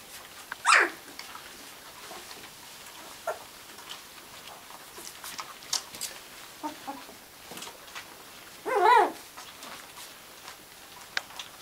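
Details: Gordon Setter puppies: two short, high, strained whining yelps, one right at the start and a longer wavering one near the end, with soft scattered clicks and shuffling in a quiet room between them.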